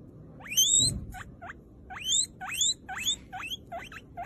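A guinea pig gives a run of shrill, sharply rising wheeks, about two each second.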